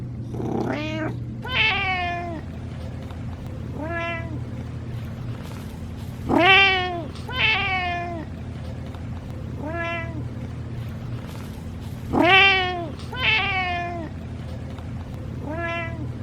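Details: Bored domestic cat meowing with little enthusiasm or joy; about ten short meows, some paired, each starting high and sliding downward with bright harmonics, spaced irregularly over sixteen seconds above a low steady hum.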